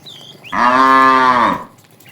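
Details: Cow herded to pasture in the morning gives one loud, even moo lasting about a second, full and harmonic-rich, with faint bird chirps before and after.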